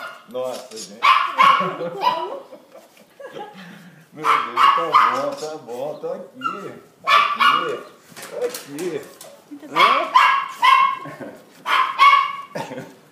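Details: Thor, a Cocker Spaniel, reunited with his people after 14 months apart, gives bursts of high, ringing yelps and whining barks in clusters of three or four, with pauses between. People talk and laugh in Portuguese throughout.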